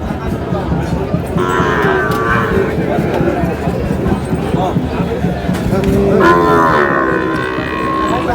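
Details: Sahiwal bull calves at a cattle market in Narsingdi on 19 July; two bright, harmonic-rich bellows several seconds apart over a dense background of market chatter, bargaining voices and faint music.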